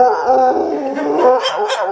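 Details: Pet dog making a weird vocal noise when greeted by its owner: a continuous, wavering, moaning howl with a mid-pitched tone throughout, ending with a couple of brighter yips.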